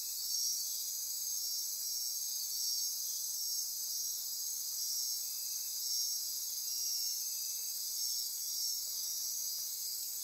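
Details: Night insect chorus from lush forest near Corcovado National Park, Osa Peninsula, Costa Rica: constant high trilling and buzzing, gently swelling and fading in loudness every couple of seconds.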